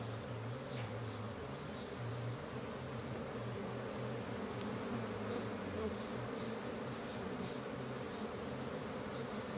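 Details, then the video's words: Kept honey bee colony, described as noisy and agitated: a dense, steady low hum with layered droning tones, unbroken throughout, with a faint high hiss above. "Lebah Maduku Lagi Ribut"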